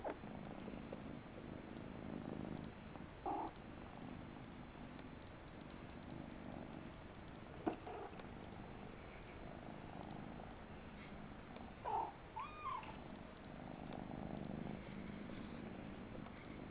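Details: Continuous low rumbling purr from Mariah, a Persian kitten, broken by short tonal squeaks and a sharp click near the middle.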